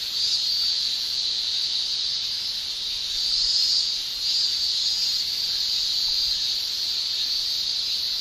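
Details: Japanese cicadas in summer, males producing tymbal song: a steady, dense, high-pitched shrill drone without breaks, swelling slightly louder around the middle and holding an even buzzing band throughout.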